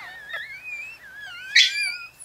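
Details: Four-day-old Chihuahua puppy with its mother Bess, Fredericksburg, Virginia, giving a long thin whine that wavers gently up and down, interrupted by a brief sharper yelp before tapering off.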